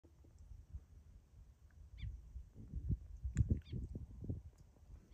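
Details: Wild boar piglets give low, rough grunts and snuffles in irregular bursts while eating roots and leftover groundnuts at a farm.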